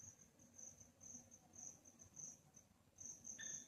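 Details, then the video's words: Crickets chirping at night in calm surroundings: a thin, very high, steady trill broken into short bursts roughly every half second, with a faint low background hum and a brief extra tone near the end. "Night Chirping Sounds"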